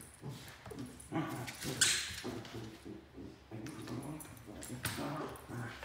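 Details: Pembroke Welsh Corgis Fuji and Mika, Mika a three-month-old puppy, play fighting; quiet, low grumbling growls come in short bursts amid rustling scuffles, with one sharp bright click near the second mark.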